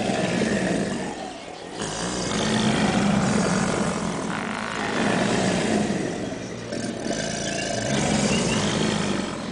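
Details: A group of subadult American alligators at the St. Augustine Alligator Farm Zoological Park bellow in chorus, with deep, rumbling roars that swell and fade in long overlapping waves.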